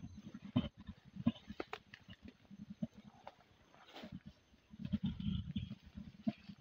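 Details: Rhythmic deep panting grunts from mountain gorillas seen mating in Bwindi, Uganda; short low pulses come in uneven runs, swelling into a denser loud burst near the end, with faint scattered clicks.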